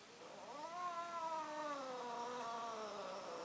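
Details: Mating domestic cat, with an orange male attempting to mate: one sustained, wavering yowl that rises then gently slides downward, rich in harmonics, lasting the whole stretch.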